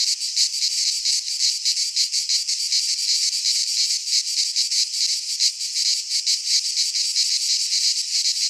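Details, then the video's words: Cicadas singing in midsummer in a Greek pine forest: a dense, shrill, high-pitched buzzing chorus that pulses steadily, with no other sounds. "Cicadas singing in midsummer - Nature sounds from the Greek fauna - Sounds of cicadas"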